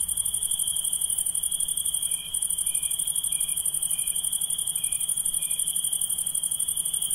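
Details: A dense night chorus of insects, possibly crickets and katydids: a steady high trill over a shimmering, pulsing hiss.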